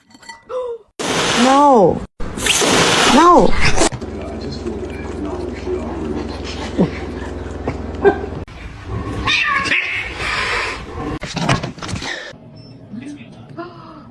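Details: Domestic cat in a funny cats-fighting compilation letting out two loud arching yowls, each swelling then dropping, followed by a long low hum, softer cries and scattered voices.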